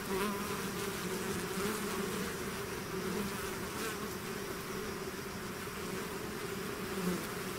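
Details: Hive swarm of bees buzzing intensely, a constant full drone with wavering low hum tones as individual insects drift nearer and away.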